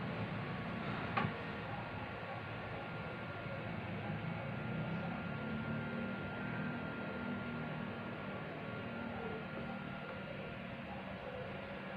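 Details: Only a constant low rumble of room or machine noise is heard, with a faint steady high tone running throughout. A single sharp click sounds near the start, and no animal voice can be picked out.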